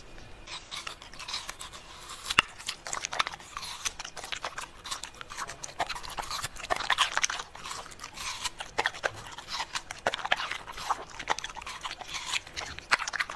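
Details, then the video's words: Pembroke Welsh Corgi eating, continuous wet chewing and crunching with irregular sharp bites, steady throughout. "Cutest Corgi Eating Food challenge compilation"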